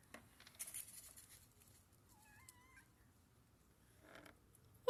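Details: Pet cat indoors making weird noises: a thin wavering tonal meow with harmonics, rising then falling, amid rustling and faint household sounds.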